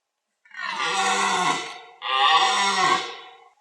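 A deer gives two long, harsh, roaring bellows during the rut, each lasting over a second.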